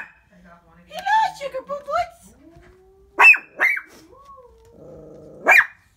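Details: Papa, a household Shih Tzu, barking at the window while a woman talks to him; her speech fills the first half, then three sharp barks break through near the end.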